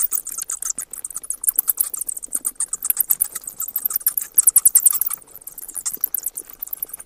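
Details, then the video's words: Bat chittering: dense bursts of rapid, very high-pitched squeaks and clicks, overlapping in quick flurries throughout, with a brief quieter stretch just after the fifth second. "เสียงค้างคาว Bat sounds"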